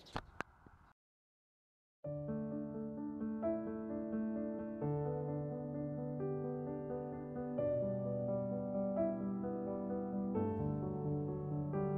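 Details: A brief thump and a second of silence, then calm electric piano music with sustained chords plays to the end, with no animal sound heard.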